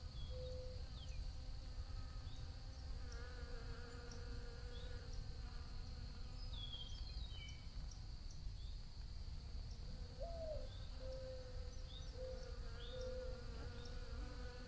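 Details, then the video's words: Several bees droning nearby, the buzz sliding up and down as they pass close, with a constant thin high tone and a few faint chirps in the distance. "Bee Buzzing Sounds"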